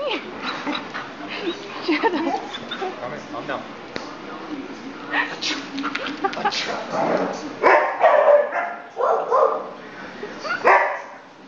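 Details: Border Collie reacting to a person's sneezes, barking and yipping excitedly in irregular bursts that grow louder and denser toward the end, mixed with human voices.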